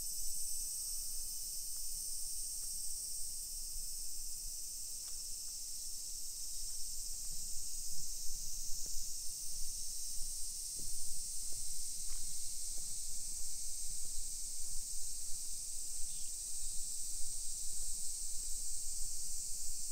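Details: Continuous high droning of many cicadas on a July 2021 summer afternoon in a hillside neighborhood of Nisshin near Nagoya, Japan; the steady buzz persists over low walking sounds and a few faint scattered clicks.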